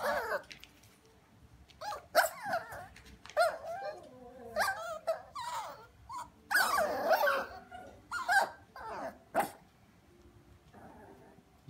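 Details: Havanese, a small toy breed lap dog, barking and yapping in bursts of sharp high barks and growly whines, with pauses between, over a quiet background.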